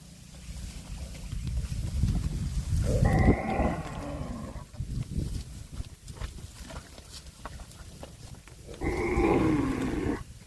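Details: Cow mooing while eating grass: two drawn-out, nasal moos with a rich harmonic stack, about six seconds apart, over steady low rumbling and chewing noise.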